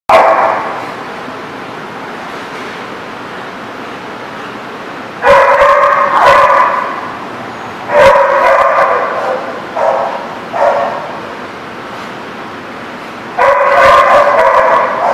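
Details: Dog barking, recorded 25 August 2017: loud harmonic bark bursts around five, eight, ten and thirteen seconds, separated by quiet stretches with a low steady background hum.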